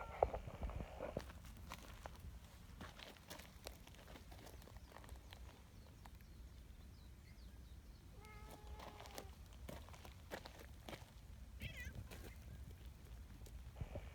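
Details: Large black community cat, a neutered street cat living outdoors, sounds glad at being approached. A single drawn-out meow comes midway and a faint short call follows later, over steady background rumble and footsteps.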